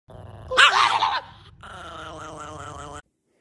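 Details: Chihuahua angry at a guitar, letting out a short harsh snarling growl-bark burst lasting about half a second, then a sustained wavering tonal hum from the instrument for over a second.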